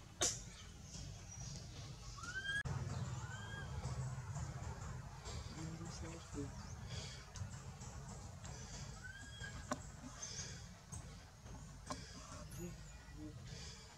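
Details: Frightened baby monkey Anissa calls for its mother while the monkey Aron refuses to let her go; short rising-then-falling squeals recur several times through a constant low background hum, with a human voice briefly heard.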